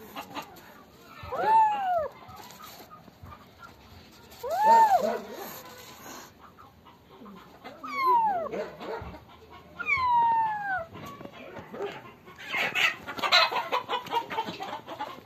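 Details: Black and white farm kitten, caught by its tail after hiding and running away, gives four drawn-out meows, each rising then falling and spaced two to three seconds apart, followed by rustling and scuffling noise.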